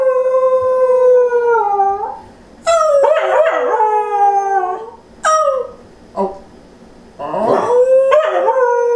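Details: A female Pembroke Welsh Corgi, a family dog that usually howls after someone leaves, gives drawn-out, wavering howls that slide downward at the end, broken by shorter yips and whimpers.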